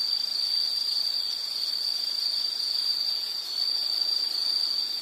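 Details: Insect calling in a nature soundscape: a steady, unbroken high-pitched trill holding one shrill tone, with a faint hiss of background noise and no other clear sounds.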